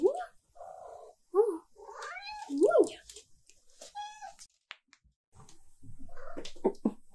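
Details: Silver tabby cat, female, indoors demanding attention and pets: a quick run of insistent, wavering meows, some rising then falling, interleaved with a person talking to her.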